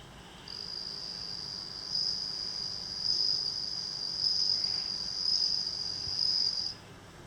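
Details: Captive bell cricket singing at night in Japan, grown from a tiny nymph a neighbour gave at rice planting, rice fields nearby; a long, continuous high ringing trill starting after a brief pause, rising and falling in loudness before ending sharply.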